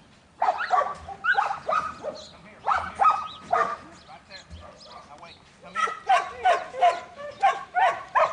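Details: Young male Border Collie Buttons, a futurity prospect in training, barks in quick uneven runs, with a brief lull midway before a faster, louder series.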